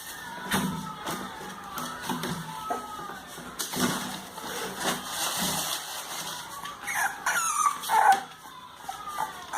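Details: Two 32-day-old English Bulldog puppies, Kala and Ada, give short high-pitched whines and squeaks, clustered near the end, over steady broadband rustling and handling noise.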